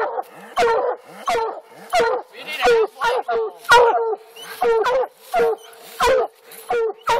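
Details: Alabama coon hunt with black and blue hounds treeing; overlapping hoarse, harmonic barks from more than one dog, uneven rhythm of about one and a half barks per second, faint constant hum underneath.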